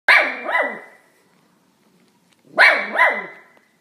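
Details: Dog barking in two quick double bursts, each pair of sharp, harmonic-rich barks about half a second apart, with a pause of roughly two seconds between the pairs; no other sounds.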